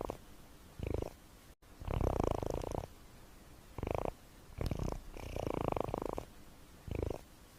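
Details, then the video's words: Sleeping pet cat gives low, buzzing snore rumbles in an uneven breathing pattern, a short burst then a longer drawn-out one, repeated several times with quiet gaps. "Cat snoring white noise"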